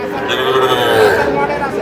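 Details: Small bull calf at a cattle market, bought by a farmer from Narsingdi on 6 July: one steady, drawn-out moo rises and falls slightly while buyers haggle over prices nearby.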